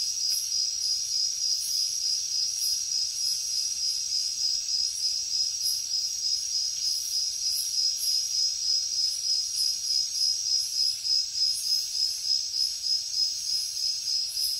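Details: Crickets and other insects at night in the jungle: a dense, steady high-pitched trill with rapid pulsed chirps, about three per second, over a hissing shimmer of further insects higher up.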